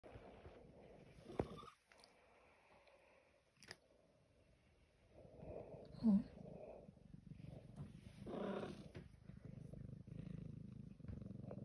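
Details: A black domestic cat, possibly a kitten, gives short chirping calls, which its owner likens to a baby zebra, over a soft, low rumble of background noise.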